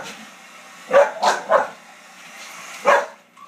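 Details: Dog barking at a hair dryer: a quick run of three barks, a pause, then one more bark, over a low continuous motor hum.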